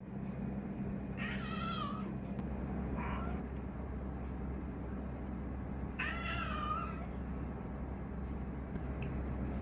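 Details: Domestic cat meowing, apparently trying to communicate something: two clear harmonic meows about five seconds apart, each rising then falling, with a short faint mew between them over a steady low indoor hum.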